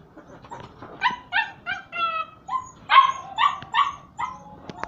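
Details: High-pitched yips and barks from puppies at play with their mother and littermates, a fast uneven string of about a dozen sharp calls, some slightly drawn out and whiny, over soft rustling.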